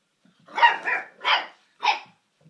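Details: A golden cocker spaniel puppy gives three short, bright yapping barks in quick succession, excited over his new squeaky toy.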